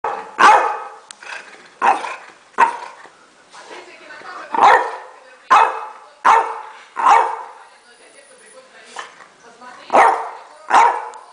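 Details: French Bulldog pestering a black cat all morning indoors: short, rough, harsh barks or yelps repeated roughly once a second, with brief quiet gaps.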